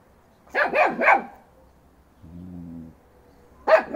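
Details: A 3-month-old Fox Terrier puppy charges a 2.5-year-old Alabai female in a yard. A rapid triple bark is followed by a short low droning rumble, then another abrupt bark at the end.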